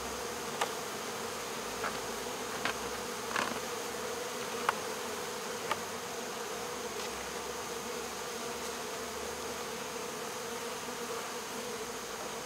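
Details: Captured swarm of honey bees, lifted from a local ballfield on 12 August 2014 and boxed with the queen inside; a constant buzzing drone broken by a few brief tapping clicks.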